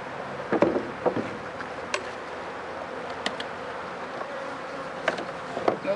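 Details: Bees humming inside an opened honey bee hive that holds no honey, during an inspection for sickness after days of rain; a low, even drone broken by sharp knocks and clicks from handling the hive.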